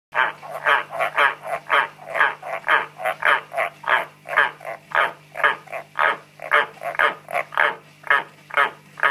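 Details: Pet frogs kept in captivity calling in a duet: a rapid, steady series of short croaking pulses, roughly two per second, with a constant low hum underneath.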